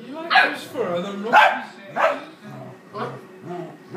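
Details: Play fighting between a four-year-old female dog and an eight-week-old puppy, new to the home, brings irregular sharp barks roughly once a second, with low murmuring voices beneath.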